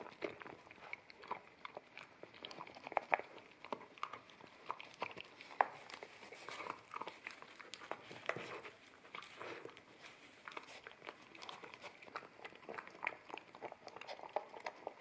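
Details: Indoors, an Akita puppy eats wet kibble off a bamboo plate, taken in stereo with a ZS100 camera; a dense stream of quick crunching bites and wet chewing clicks runs steadily throughout, with no other sounds.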